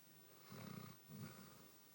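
A sleeping Basset Hound gives low, rattling snores, each a rough rumble lasting about half a second. Two snoring breaths come close together in a quiet indoor room.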